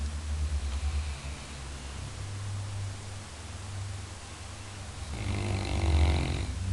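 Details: Labrador Retriever snoring, described as the best guard dog: a low, rumbling drone runs throughout, swelling into one louder, raspier snore near the end.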